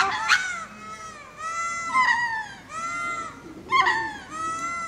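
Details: Ring-tailed lemurs giving spacing calls while going to roost at Berenty Reserve, Madagascar: mewing, cat-like harmonic cries that rise then fall, several overlapping voices calling about every second, with a sharper, louder cry near the start and another toward the end.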